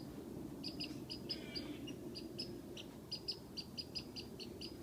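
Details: A squirrel in a tree, teasing a cat, gives a rapid series of sharp, high whistled chips over a steady low rumble.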